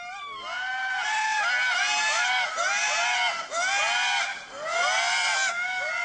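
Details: Indris (Indri indri) in Madagascar, in early morning, switch from communication calls to loud, wailing alarm cries with rising and falling swoops, likely warning of a predator such as a hawk or fossa, not of nearby people.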